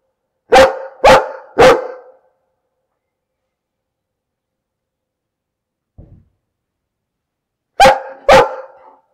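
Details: A dog gives three quick, loud barks in a row, falls silent for several seconds apart from a faint thud, then barks twice more in quick succession.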